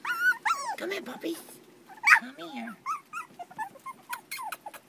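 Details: Puppies of a terrier litter at four weeks old whine and squeal almost continuously in wavering, high-pitched bursts, mixed with low grunts, while a person speaks Danish and calls them.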